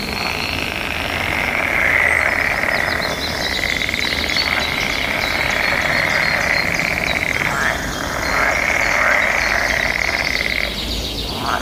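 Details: Mating-season frog chorus, many callers answering each other in a steady buzzing drone that rises and falls in long surges, with scattered high bird twitters and natural outdoor background.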